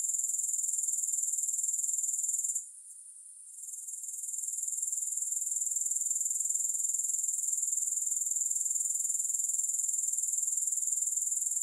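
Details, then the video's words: Soothing grasshopper sound without music: a high, rapid, pulsing insect trill that drops out for roughly a second early on, then swells back and continues evenly. "3 Hours of Grass Hopper Sounds"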